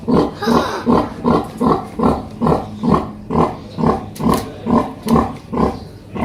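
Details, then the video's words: Pig family of a mother and her baby piglets, loud and noisy: steady, evenly spaced deep grunts about every half second, each a short harsh pulse, with a brief sharp noise near the end. "Noisy pigs - Pig and piglets grunting & squealing sounds - Oink sounds"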